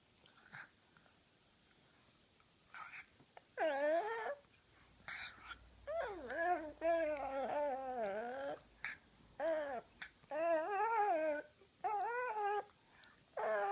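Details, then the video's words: Tyler Durden, a female pug called Ty, makes funny noises while her owner plays with her face indoors: wavering, whiny vocal bursts with sliding pitch, several long bends and short breaks, in a quiet small room. "Tyler Durden the Pug (Ty) makes funny noises"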